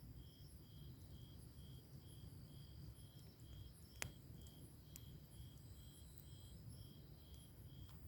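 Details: Summer-night grass insects heard by a crackling log fire: a steady high chirp repeating roughly every half second, faint overlapping insect buzzes higher up, a sharp fire crack near the middle, and constant low rumbling beneath.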